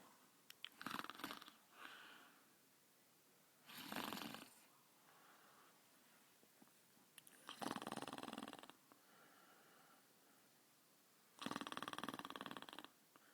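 A sleeping Basset hound snores in loud, raspy bursts, each followed by a long quiet pause.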